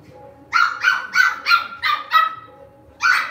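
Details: Lhasa Apso dog at home giving six sharp, high-pitched barks in quick succession, a short pause before the last one, with a faint steady tone underneath.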